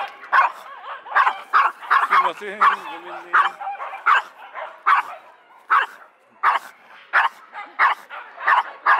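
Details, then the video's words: Hime, a Pomeranian x Pekingese mix dog, barking nonstop outside the Yoyogi Park dog run before entering, at people and dogs alike; sharp, fast yaps in quick bursts nearly every half second, with a brief human voice around the second mark. "【吠えまくり】初めてのドッグラン 断念する"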